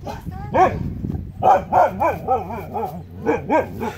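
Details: Two huskies barking at a mountain lion on the Pacific Crest Trail, August 2017: loud, harmonic, up-and-down arching barks and yowls, roughly three to four per second in an uneven rhythm.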